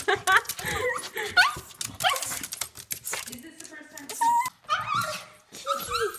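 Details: Japanese Chin dog greeting its owner excitedly after months apart, giving high whining yips and squeaky rising whimpers in quick bursts, mixed with a person's excited talking.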